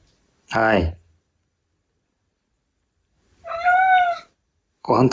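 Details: Male Ragdoll cat indoors giving a short wavering meow of under a second, between bursts of a man's Japanese speech offering food.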